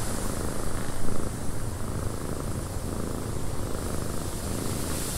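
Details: Cat purring in a windy cabin, a continuous low, even rumble under a steady hiss of wind, with little change in loudness across the stretch.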